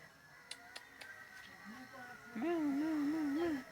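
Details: Cat giving a single drawn-out, warbling meow with a wavering pitch, held for just over a second after faint clicks and taps in a quiet room.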